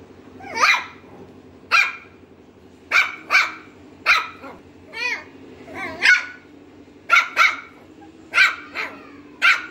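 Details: Lhasa Apso dog barking in sharp, separate bursts, single barks and quick doubles spaced roughly one to two seconds apart, with a low steady hum underneath.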